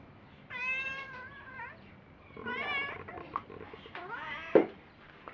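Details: Me, a pet cat whose meows are said to carry meanings like asking to play, go out or come in, utters three separate meows roughly a second long, the last rising sharply, followed by a brief click.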